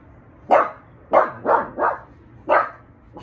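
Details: Pug named Mishka giving five quick, sharp barks in a little over three seconds, three of them close together in the middle, over a faint low background hum.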